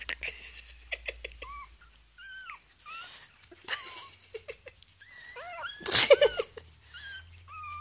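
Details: Foster Chihuahua puppies, three weeks old, playing: a busy run of small high squeaks and chirps, many bending up then down, in quick irregular bursts, with a brief rustling or sneeze-like burst midway.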